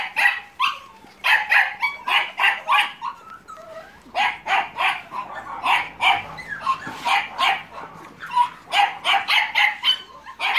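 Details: A litter of American Staffordshire Terrier and Staffordshire Bull Terrier puppies, filmed 30 July 2017 at Terierkowo, yaps almost nonstop, bright squeaky barks tumbling over each other about three per second with few pauses.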